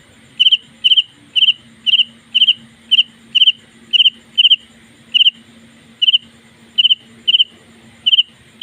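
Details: House cricket calling at night inside a home: loud, high double chirps repeated about twice per second, steady and even, with a faint low hum beneath.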